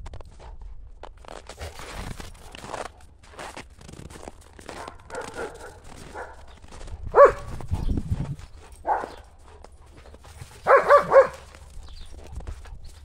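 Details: German Shepherds Buffy and Willow in the snow on a cold January day, playing ball chase; isolated barks, then a quick burst of three barks near the end, over crunching footsteps.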